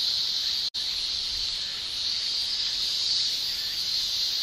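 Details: Continuous shrill buzzing of male cicadas in summer in Japan, produced by the tymbal; the high even drone cuts out abruptly for an instant near the start, then carries on unchanged.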